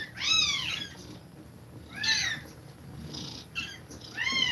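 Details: Domestic cat nursing kittens while breathing fast. Three loud, high, arching mews with rich harmonics: one at the start, one near two seconds and one at the end, with softer calls between them over a low background hum.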